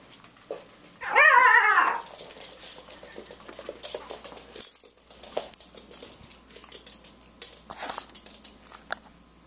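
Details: Gitsie Glitter, a female Chorkie (Chihuahua Yorkie) tiny toy dog, whines with excitement to go for a ride in the car, indoors; one loud, wavering, harmonic whine lasting about a second, followed by soft clicks and patter.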